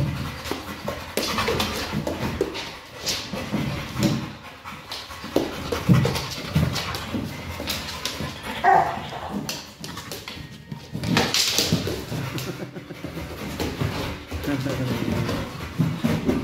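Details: Kral, a pit bull, busy with a Pilates ball: breathy panting mixed with short whiny whimpers and an occasional low bark-like grunt across the stretch, plus rustling and knocks from play.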